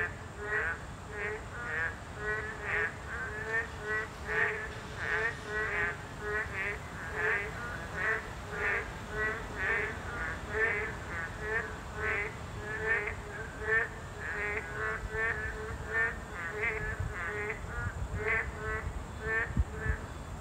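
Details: At their breeding habitat, boreal digging frogs, a protected species, keep up a loud chorus of nasal, duck-like croaks, several each second from overlapping callers, over a faint constant hiss.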